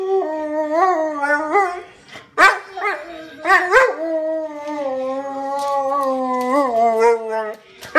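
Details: Dog howling along to its favourite song from the Enchanted Tiki Room: wavering notes that rise and dip, a burst of short yelping notes midway, then a long, slowly falling howl.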